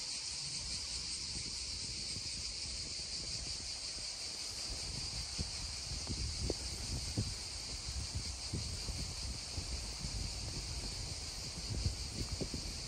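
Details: Cicadas drone near a babbling stream, a constant high buzzing wash, while the stream's splashing and gurgling come through more strongly, with small bursts of water sound.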